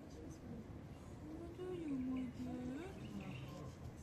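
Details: A black-and-white cat meows in reaction to a hand reaching out to pet it, also raising a paw. There is one drawn-out meow that dips and then holds level, with a short tail after it, over a steady hum of background noise.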